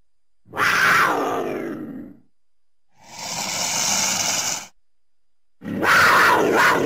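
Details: Cougar. A cougar lets out three rough, snarling bursts separated by short pauses. The first and last are strained and grating, falling slightly in pitch, while the middle one is a breathier, hissing rush.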